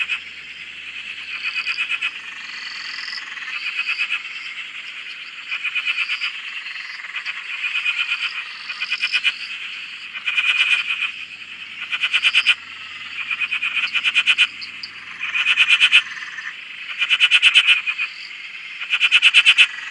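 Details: Chorus of many frogs at a farm dam in Australia, recorded from a shack: a dense high-pitched trilling wash underneath, broken by loud pulsed bursts of rapid clicking croaks every one to two seconds, growing louder toward the end.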